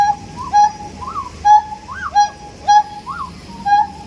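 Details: Siamang producing a regular pattern of level hoots, each paired with a brief arched higher note, repeated roughly every half second with an even, bouncing rhythm.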